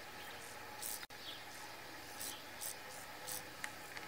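A grasshopper gives short, dry, hissing buzzes, repeated irregularly over a soft forest background.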